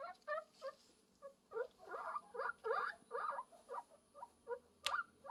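A guinea pig makes short, squeaky chattering bursts in quick, uneven runs as a courtship call.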